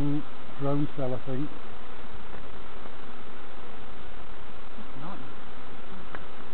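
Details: A low, even hum of many bees fills the recording as novice beekeepers inspect hives at Summerwood Lane Allotments and Community Garden, with short bursts of speech at the start and near the end.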